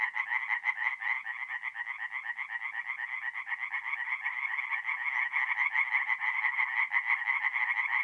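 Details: Many tree frogs singing together at a forest pond on an April night in north-east Italy, an unbroken, rapid, pulsing chorus of bright overlapping croaks with no other sounds.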